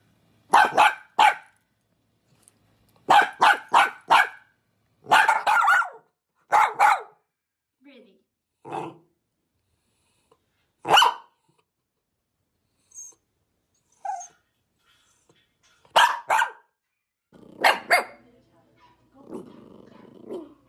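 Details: Dachshund giving clustered rapid barks in the first seven seconds, then scattered single barks and softer, lower yips, with faint rustling and a brief high tone between them; a final pair of loud barks near the end.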